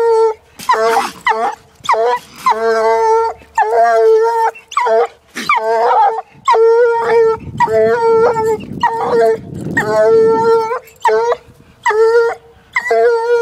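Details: Treeing Walker Coonhound, a one-year-old female, baying at a caged raccoon, only her second time seeing one. Long drawn, steady-pitched howls with rich harmonics, repeated with short breaks, some broken bawls between.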